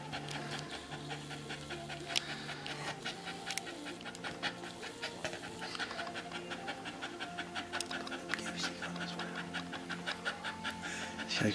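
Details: Red Staffordshire Bull Terrier bitch, a first-time mother, in her whelping pen during labour with her first pup. Rapid, steady breathy panting runs throughout, with sharp quick huffs and a faint tonal hum in the background.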